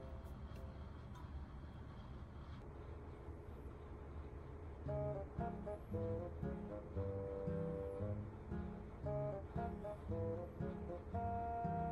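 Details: Quiet indoor hum for several seconds, then gentle plucked guitar music with a steady melody takes over; no animal sound present.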